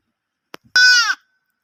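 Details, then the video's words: Short, sharp baa from a lamb, under half a second, starting strongly and dropping in pitch at the end, preceded by a couple of soft knocks. "baby sheep loud noise, animals sound , sheep baaing"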